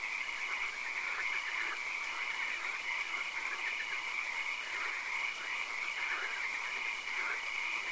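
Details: Frogs calling in a swamp at night with occasional rain: a dense overlapping chorus of rapid trilled croaks in many voices, with a steady high whine and a faint hiss of rain or insects throughout.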